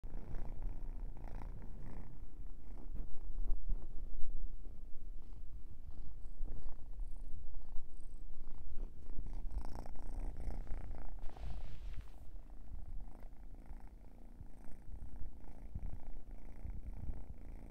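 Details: Sleepy kitten purring indoors while yawning; a steady low rumbling purr that swells and fades in rough breaths, with brief soft higher rustles midway.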